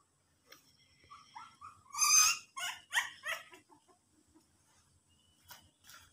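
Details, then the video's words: Dog giving a short run of high, clipped yelping and whimpering calls, strongest in a tight burst around the middle, then fading into quiet with a few faint squeaks at the end. "my dog"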